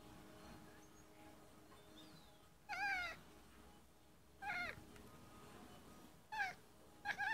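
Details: Domestic cat chirping at local birds visiting a tree outside a window: four short harmonic chirps with quavering, wavering pitch, spaced about two seconds apart, over quiet indoor background.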